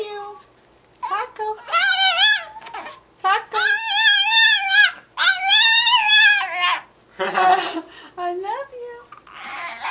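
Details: Paco the Chihuahua, coaxed indoors to say "I love you", answers with a run of three to four sustained, quavering, singsong whines rich in harmonics, separated by short pauses, while people encourage him in the background.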